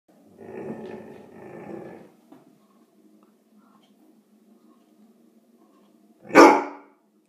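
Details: Indoor Irish Setter, recorded 19 April 2016, barking on guard while having his teeth brushed because something bothered him, though nothing was outside. A low, rough growling woof rises over the first two seconds, then one loud sharp bark comes near the end.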